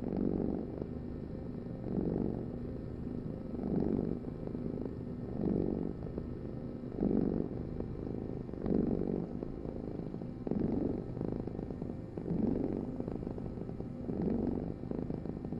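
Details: Continuous low cat purr pulsing with the breath, a surge roughly every one and a half seconds across the whole stretch, in a quiet room with nothing else clearly heard.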